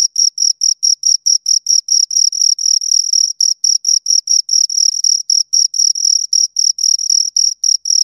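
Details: Chirps of two crickets recorded right at the ear: bright, high, rhythmic pulses in quick succession, the pulse train sometimes overlapping as both insects call, with no other sounds present.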